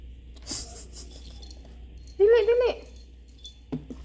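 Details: A puppy, one of a pair of Golden Retriever and Shih Tzu puppy friends in a home with three dogs, gives a short, tonal, half-second whimpering cry that rises then wavers, indoors amid a quiet room, faint clatter and a few spoken words.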